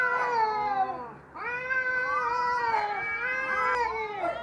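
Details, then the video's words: Cats brawling, continuous warbling caterwauls with a single brief dip in the first second, then a long sustained, wavering howl overlapped by a second voice. "Suara kucing ribut berantem"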